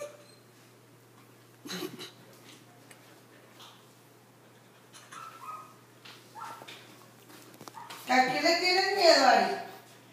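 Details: Siberian Husky Arya, scared of a balloon in a small room, gives a loud, rising and falling, quavering whine near the end after a person speaks coaxing Spanish words and scattered knocks.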